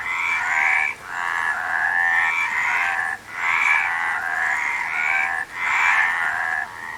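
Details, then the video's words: Frogs calling in a dense chorus: layered, trilling croaks swelling in bursts of about one to two seconds, broken by brief near-silent dips, with faint rising whistled notes threaded through. "Frog Sound"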